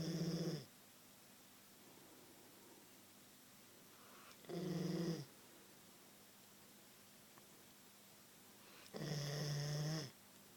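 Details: Sleeping Queensland Koolie indoors, snoring in three long rasping breaths spaced about four seconds apart, each low and rumbling with a steady hum, quiet room between them.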